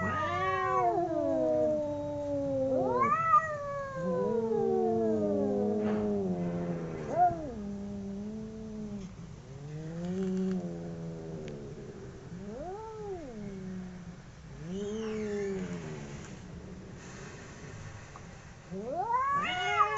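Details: Two domestic cats in a fight trade repeated yowls: rising-falling wails, some low and drawn out, others short steep upward whoops, overlapping irregularly over twenty seconds.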